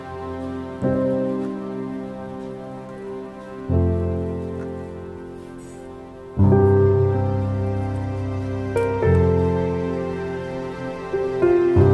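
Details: Soft, slow piano chords with no animal voice.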